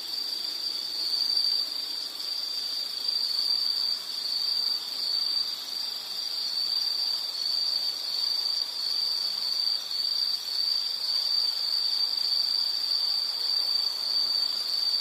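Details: Continuous high shrill insect trill in natural surroundings, even and unbroken for the whole stretch, lightly wavering in strength over a soft hiss of ambient noise.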